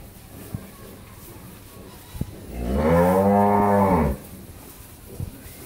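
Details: Friesian cow on a farm in Pabna, Bangladesh, in late pregnancy with her first calf, expected to calve within one week; a single steady, low, droning moo of about one and a half seconds after faint background talk and knocks.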